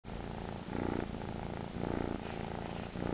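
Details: Kitten purring steadily in a low rumble, with soft swells roughly every second as breaths alternate in and out.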